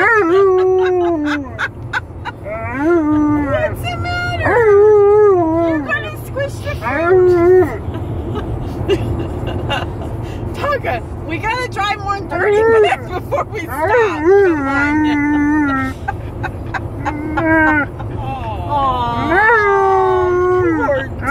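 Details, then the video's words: Alaskan Malamute in a car on a road trip, howling and yodelling repeatedly; a series of wavering, rising and falling vocal notes, some short and some drawn out, over constant low engine and road rumble, with a person then speaking. "Malamute Howling In Car On A Road Trip"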